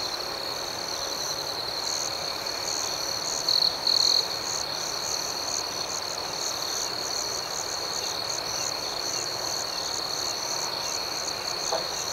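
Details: Nighttime cricket chorus, a steady high-pitched ringing with rapid rhythmic pulsing above it; two short louder trills break through early, and a faint brief sweep appears near the end.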